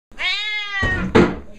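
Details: A very loud, agitated Siamese cat gives a loud, drawn-out meow with a rich harmonic tone, followed by a brief noise.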